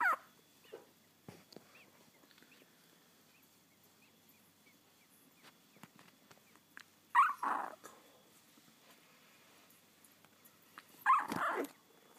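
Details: Young Labrador Retriever pups, ten days old, settling for the night: three isolated, loud, sharp yelps separated by long quiet stretches of faint rustling, one near the start, one mid-way, one near the end.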